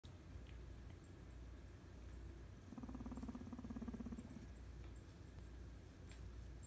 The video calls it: Guinea pig purrs